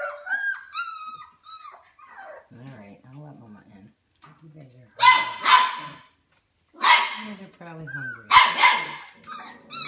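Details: Four-week-old Golden Mountain Doodle puppies from Bella and Halas, calling in thin, falling whines at the start, then louder harsh yelping bursts mixed with a person talking.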